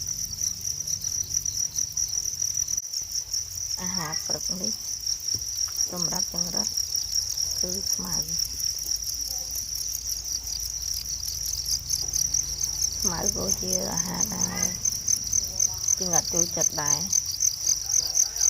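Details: Natural crickets trilling continuously in a high, rapid, pulsing chorus, while a man talks in Khmer in short bursts over it.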